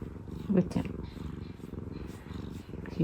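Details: Contented purring from a pet cat, one of two rescued sisters, relaxing indoors; a low continuous rumble runs under brief bursts of a woman's gentle talking.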